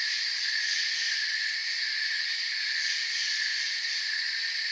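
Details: Crickets in a forest produce an unbroken, high, buzzing chorus, several shrill layers sounding together at an even level, with soft rapid pulsing in the uppermost tones.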